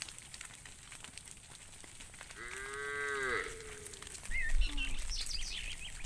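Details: A roaming cow in the fields calls out to its friend with one sustained, rich moo that swells and then fades, followed by brief higher chirps and rumbling noise.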